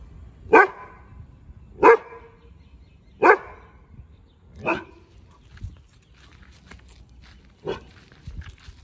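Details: A Rajapalayam dog gives deep, loud single barks in a residential street, spaced a second or two apart, warning off a stranger who comes along it.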